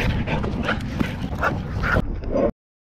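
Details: Dog fight at a dog park between a pit bull and a Belgian Malinois: a run of rough, excited barks roughly every half second over crowd noise, ending abruptly.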